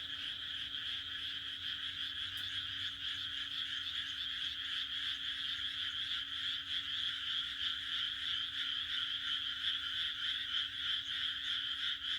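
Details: A massed frog chorus on a June night in Japan's countryside, shrill croaks overlapping into an unbroken, gently throbbing sound, a faint tick early on and a steady low hum.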